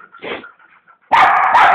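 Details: An 8-year-old female Siberian Husky plays with her owner, recorded on a Samsung Star GT S5230 phone. A few faint, soft sounds are followed by a loud, harsh, broadband bark-like burst lasting over half a second.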